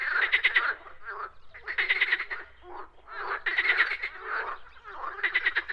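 A frog gives harsh, rattling croaks in bursts about every second and a half.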